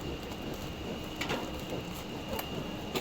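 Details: Steady broadband hiss like rain falling on a surface, with faint brief crackles and a constant high-pitched tone; no animal voice stands out.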